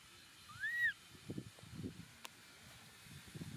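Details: Baby Momo, a young monkey on rocks, cries as his father leaves him. One loud arched whistled cry rises and falls, followed by low scuffling and rumbling outdoor noise.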